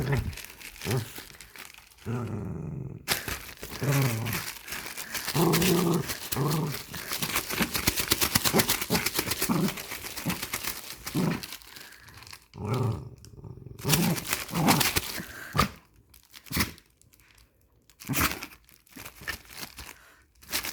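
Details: A nine-year-old Dachshund tugs at a plastic bag inside a small room, giving deep throaty growls in short harmonic bursts, nearly buried under steady rustling and crumpling of plastic, with brief speech in the background.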